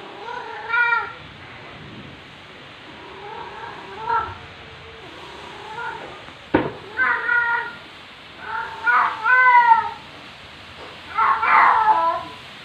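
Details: Female black cat in heat, at home indoors, filmed 23 September 2020 late afternoon, loudly demanding attention: a run of about eight wavering yowls and meows of varied length, some rising and falling, with one sharp click partway through.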